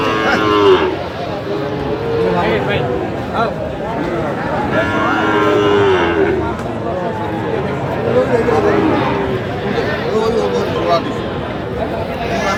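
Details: Young Sahiwal bulls for sale at a livestock market, 25 October 2025: several short, bleating moos rise out of a constant hubbub of voices and crowd noise.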